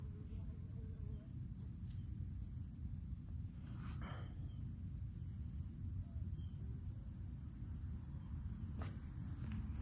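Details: At a honey bee hive being robbed by yellow jacket wasps, many Western honey bees give a low, dense, droning hum, steady throughout with a faint high whine above.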